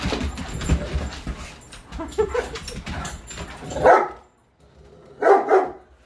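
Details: Two big dogs, a Greater Swiss Mountain Dog and a Mastiff, playing indoors after romping outside. Scuffling, rumbling noise opens the recording, followed by two short, loud bark bursts separated by a brief silence.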